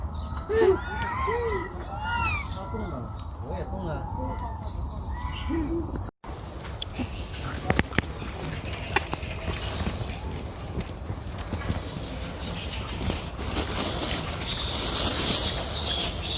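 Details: A baby monkey in China cries loudly in high, arching whimpers, with people talking nearby.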